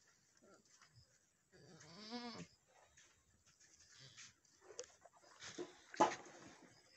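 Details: Boer goat at a farm in Nepal after a doe's first successful kidding, which produced a male kid; one short, fairly quiet quavering bleat, followed by clattering and shuffling sounds.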